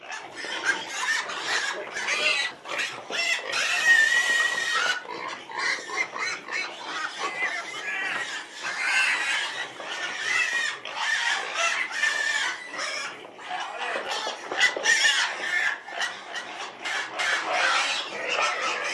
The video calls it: sounds of a domestic pig